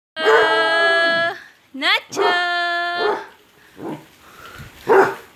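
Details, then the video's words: Basset hound crying at home: two long, steady, tonal howling notes of about a second each, separated by a brief rising whine, then softer short yelp-like sounds. "THE CRYING BASSET HOUND!"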